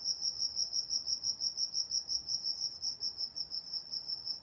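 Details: Night-time cricket chorus from Walnut, California: a bright, high trill pulsing evenly about three times a second over a soft, dark background.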